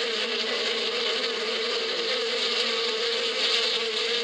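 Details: Springtime bees in the badia: a steady, even drone of many wings, one sustained humming pitch beneath a bright hiss, with no pauses and no other distinct sounds.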